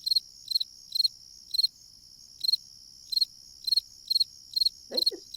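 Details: Classic fall field cricket song heard in the fall: high, clear chirps of three or four quick pulses repeated roughly every half second, with a brief pause midway and a faint low background hum.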